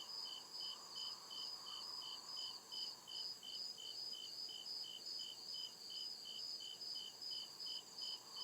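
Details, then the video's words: Woodland crickets at night chirping in a fast regular series of bright, high pulses, each short and evenly spaced, above a continuous high hiss of other insects and a soft lower wash. "CRICKET CHIRPING SOUND"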